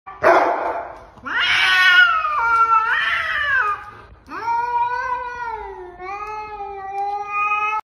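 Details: Kitten meowing loudly: a short squeak, then three long drawn-out meows, each wavering and sliding in pitch, in a quiet indoor space.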